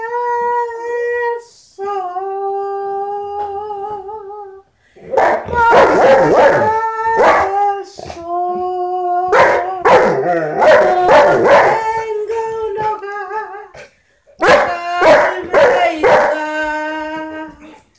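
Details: Saint Bernard 'singing' in a drawn-out howl. It opens with sustained, quivering tones, then moves into louder, choppy stretches of overlapping howled notes. Two brief silences break it before a final falling, wavering note.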